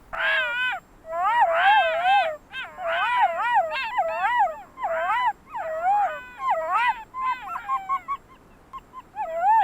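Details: Wolf in Russia feeding at meat bait at night, barking and howling to call its companions after eating its fill. A run of about eight short, quavering howls, each wavering up and down, with brief gaps between them.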